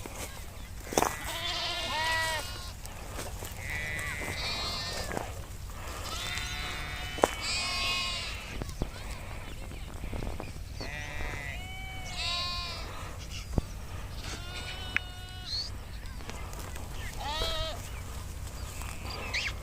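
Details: A grazing nomadic Kashmiri sheep herd, many animals calling; loud wavering harmonic bleats come in bursts every second or two, higher and lower voices overlapping, over a constant low rumble with scattered sharp knocks.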